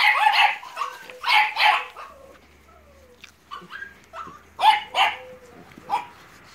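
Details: Litter of American Staffordshire terrier and Staffordshire bull terrier puppies at Terierkowo, 30 July 2017: sharp, high puppy yips in short clusters, several in the first two seconds and again near the end, with a woman's fond Polish talk and soft whines.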